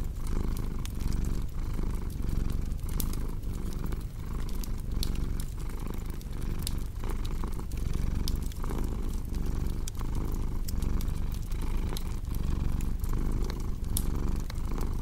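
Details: Steady, deep purring from a house cat, rhythmic breathing cycles under frequent crackling and popping from a wood fire.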